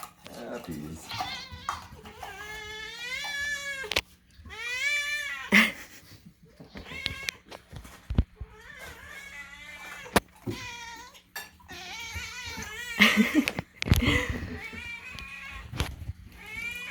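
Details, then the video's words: Domestic cats indoors demanding food as it is made, giving a long run of loud, wavering, harmonic meows, some rising and bending, with people talking, laughing and clattering between calls over a low hum. "loud cats demand food"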